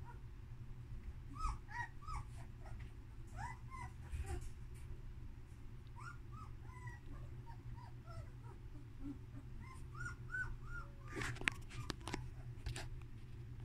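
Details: Jaune, a female German Shepherd puppy only two weeks old, gives soft, thin whimpers, short rising-then-falling squeaks repeated irregularly throughout, under a constant low hum with some rustling and a burst of scraping near the end.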